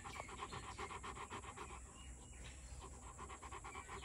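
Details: Pet Rottweiler, a male aged two years, breathing in quick rhythmic pants near four a second, with a brief lull around the middle before the steady panting resumes.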